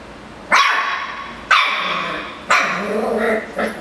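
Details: Miniature Schnauzer barking angrily at a Yakult pot: four sharp, harsh barks spaced about one second apart, each starting loud then trailing off, the last two longer and rougher.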